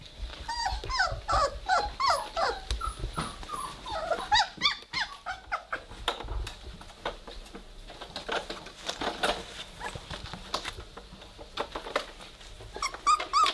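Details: Weimaraner puppies at three weeks old, romping together and starting to growl, give a run of high, wavering squeals and squeaky growls, dense at first then thinning into scattered yips over soft shuffling, with a voice afterward.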